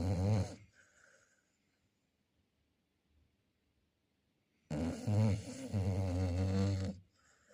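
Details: A sleeping Chow Chow's heavy snore: a brief rough burst, then a long silent pause before a drawn-out, throaty, vibrating snore lasting over two seconds.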